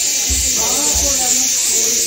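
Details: Crickets keep up a loud, continuous high-pitched shrilling drone at a watchtower on an early-morning jungle safari in the Dooars forest, while a woman talks quietly.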